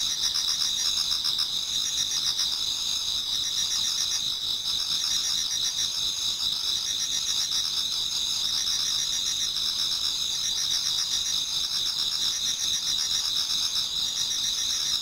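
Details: Autumn insect chorus in a Japanese garden towards dawn, many singers together: continuous high-pitched ringing bands layered over a faint rhythmic pulsing, steady in loudness throughout.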